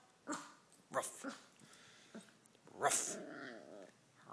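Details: Miniature Pinscher puppy talking back over a bone, acting like the boss: wavering, whiny growled vocalizations with short sharp bursts, rising into a drawn-out moaning grumble near the end, while a person asks for the bone.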